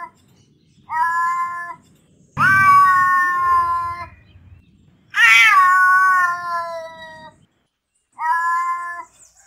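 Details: Cats fighting, giving drawn-out harmonic yowls and growling wails, one sliding downward over two seconds, with short gaps between cries.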